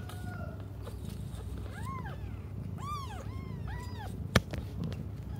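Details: Meows from cats awaiting their mother: four arched cries in a row, each rising and dropping, followed by a sharp click, with a low background hum throughout.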